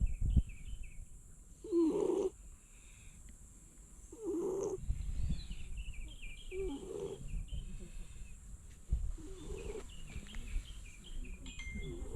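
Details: Stray cat sleeping on Tashirojima, the cat island, snoring in slow, rasping breaths that come roughly every two and a half seconds, with faint high stepped chirping in the background.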